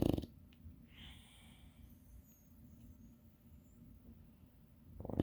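An English Bulldog snores softly, a low, rattling rumble that runs steadily under the quiet.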